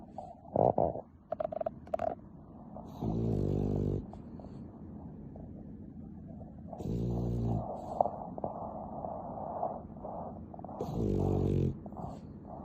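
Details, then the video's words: Nana, an affectionate pet dog, snoring, sped up tenfold: three buzzy, droning snores of under a second each, spaced roughly four seconds apart, with brief sharp knocks and hums at the start. "ナナ動画 甘えん坊 いびき 10倍速"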